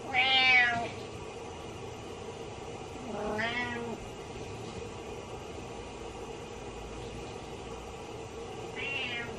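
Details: Pet cat meowing sadly while its owner is in the shower, indoors: three plaintive meows, a loud descending one at the start, a lower wavering one near three seconds, and a faint short one at the end, over steady hiss.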